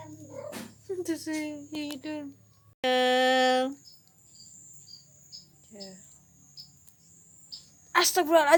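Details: A mother cat wanting to move her kittens to a new spot gives drawn-out, harmonic meows calling them, with a person talking nearby.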